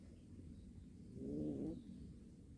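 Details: Short, low meow from a cat of a warehouse cat family: a brief rising-falling tone lasting about half a second, heard over a constant low-pitched rumble.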